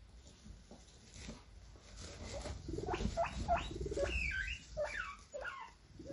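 A guinea pig gives a run of short, high squeaks that bend up and down in quick succession.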